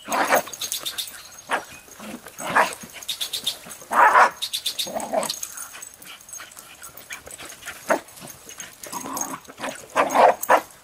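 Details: Jack Russell Terrier on a leash, playing with a basketball for the first time near a highway; sharp barks and yips burst out in clusters between bouncing and scuffling, with loud peaks around four and ten seconds.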